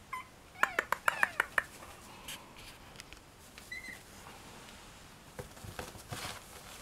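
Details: Daisy, a 4.5-week-old smooth-coated chihuahua puppy, gives a quick run of about seven high, squeaky yelps in the first two seconds. A soft short squeak follows, then quiet indoor rustling and clicks.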